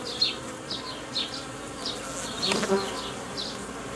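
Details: Steady droning of honey bees around a Romanian hobby apiary on 19.05.2018, where queens were being reared using a Nicot cage, with brief bright chirps overhead and a louder burst near the middle.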